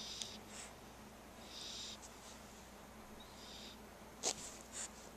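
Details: Sleeping puppy named Spike, cute and chubby, snoring while in the care of dog sitters: a few breathy, whistling wheezes, each about half a second long, faint against constant room hum, then a brief sharp tap near the end.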